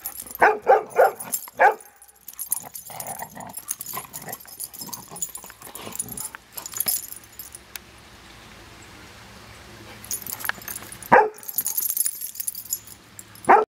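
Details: Play between the dogs Bailey and Cooper, with Bela busy on a toy; sharp clustered barks and growly bursts open the scene, then a long quiet stretch, before a fresh flurry near the end.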